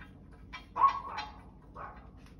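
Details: Dog giving a short, slightly drawn-out bark with a tonal middle, then a softer second bark a second later, over low background noise.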